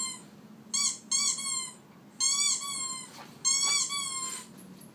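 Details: A pet dog gives high, thin, ringing squeaks in four bursts, each about half a second to a second long, pitch rising slightly then dipping, with quiet pauses between.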